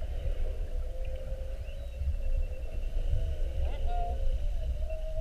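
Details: Underwater sound of whales mugging a whale-watch boat, spy-hopping around it during a 7:30 trip on 2-21-19. Wavering tonal moans in the mid range, with faint higher squeaks, over a constant deep low rumble.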